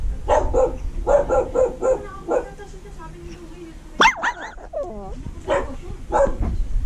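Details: Shih Tzu–Maltese mix dog giving a series of short harmonic barking yips in irregular bursts, broken midway by a sharp rising and falling whine, then more yips near the end.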